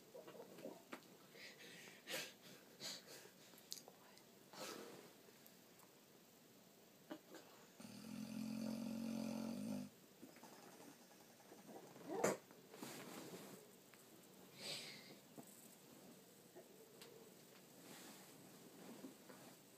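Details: Rocky the dog snores while asleep: one low, buzzy snore holds for about two seconds midway, amid softer snuffling breaths and faint clicks.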